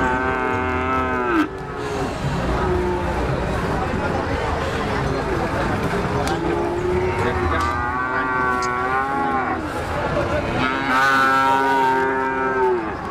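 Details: Cattle bellowing in long, rich moos at the start, middle and end, separated by stretches of human talk and low background noise.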